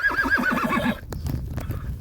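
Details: A 32-year-old starved rescue mare that calls to her carers every time they walk by, possibly wanting company while she eats. She gives a shaky, wavering whinny for about a second, followed by hoof clatter and thuds.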